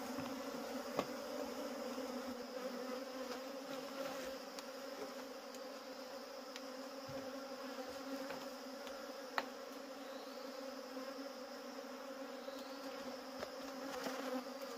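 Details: Wild honey bees during a wild honey harvest, humming as a constant swarm drone over about fifteen seconds, with scattered faint clicks and a couple of sharp taps.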